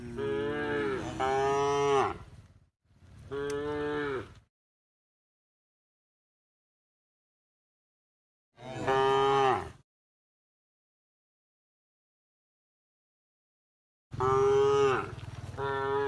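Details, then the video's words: Tame cows mooing while being herded towards the livestock pen at a field by the forest edge; long harmonic moos, two close together, then another after a pause and a fourth later, with silence between. "the sound of cows mooing"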